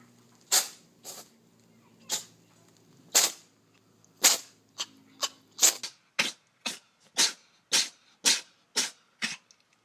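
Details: Cat sneezing, from a funny compilation: a series of sharp, hissing, explosive bursts, first spaced about a second apart, then coming faster, about two per second, toward the end. A faint low hum runs underneath, and no voices are heard.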